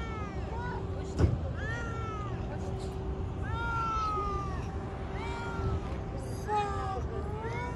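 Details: Stray cat on the street being petted meows repeatedly, roughly six arched, whining calls about a second apart. There is one sharp tap near the start, with a steady low hum and background rumble throughout.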